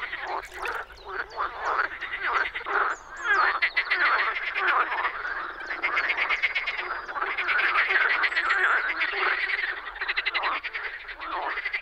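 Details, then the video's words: Dense spring chorus of frogs at a pond or wetland in the Czech Republic: many overlapping rattling, pulsed croaks that swell and fade in waves, layered with no gaps, with no other clear sounds. "European frog calls"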